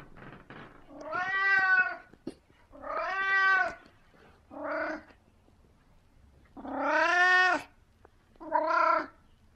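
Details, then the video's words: Merlin, the chatty 17-year-old cat, meows indoors in the morning: five varied calls, some long and wavering, one short and clipped, one rising into a higher yowl, with soft clicks and brief pauses between them. "VERY talkative 17 year old cat"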